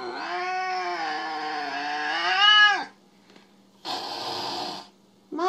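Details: Jealous house cat Mo yowls for nearly three seconds in a sustained, wavering wail that ends with a downturn. A short hissy burst and the start of another cry follow after a pause.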